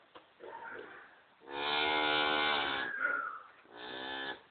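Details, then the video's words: A vocal Lineback cow, sounding very soft for her, gives one long, steady, harmonic-rich moo of about one and a half seconds. A shorter, similar moo follows after a brief pause. Faint murmuring is heard before the calls. "talking cow"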